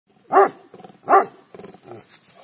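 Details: Show-quality Gaddi dog in Punjab giving two loud, deep, harsh barks about three-quarters of a second apart, followed by softer rustling and faint movement sounds.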